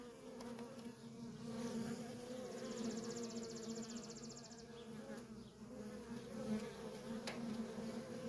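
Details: Busy feral colony of honey bees, workers flying in nonstop: a continuous low droning buzz, with a faint high rapid rasp from another insect for a couple of seconds in the middle.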